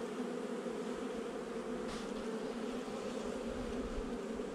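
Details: Honey bees in a nucleus hive installed about a month earlier, recorded during a beekeeper's inspection on 8 July 2020; a steady, dense hum of many bees with strong bands around mid-low pitch, continuous throughout.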